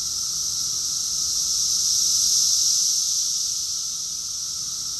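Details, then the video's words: Cicadas in chorus, recorded in June 2021 at Rockville, Maryland, USA: an unbroken shrill, sizzling wall of sound that builds to one broad peak mid-way and then slowly fades back. "Cicadas song || Cicada's chorus song"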